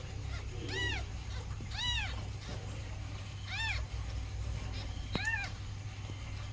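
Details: Calico mother cat nursing her kittens, giving four clear arched meows, two close together near the start and two later, over a steady low hum.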